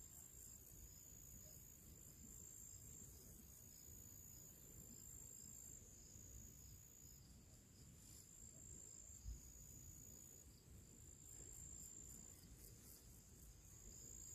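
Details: Crickets singing their pre-evening song outdoors in summer: a steady, high, shimmering trill with faint rapid pulsing, over constant low rumbling background noise and one brief soft knock.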